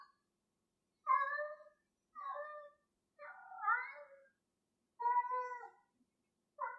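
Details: Pet cat Gloria playing with a piece of string and meowing steadily, five rich harmonic meows about one second apart, one wavering and bending upward, in a quiet room.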